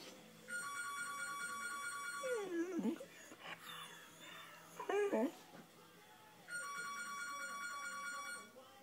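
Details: Tuff, a 5-month-old blue Razor's Edge pit bull puppy howling for the first time, gives short, wavering howls that rise and fall as a house telephone rings between them.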